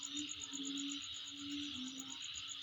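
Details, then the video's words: Continuous shrill insect trilling recorded in someone's home surroundings, a sustained high buzz with rapid regular pulses on top, plus a faint low tonal hum drifting in and out. "Sound Of Insect In My Place"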